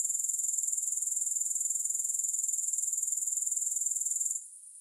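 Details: Grasshoppers with no music: a shrill, rapidly pulsing high trill held steady for about four seconds before dropping away to a faint hiss.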